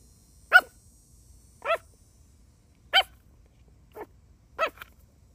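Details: A puppy playing with a shoe gives five sharp, short, high barks spaced about one second apart, each a crisp single yap with a quiet pause between, against a near-silent indoor background.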